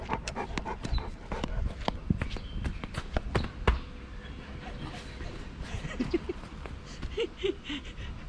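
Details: Big Bear (小黑), a Tibetan Mastiff that walks a couple of steps and then stops to rest, panting in quick rhythmic breaths over the first four seconds, then quieter breathing with faint voices in the background.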